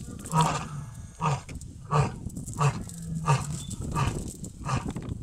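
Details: Large white lion seen on a safari game drive; a series of deep, breathy grunting pulses comes roughly every two-thirds of a second, low and throaty, with slightly weaker pulses toward the end.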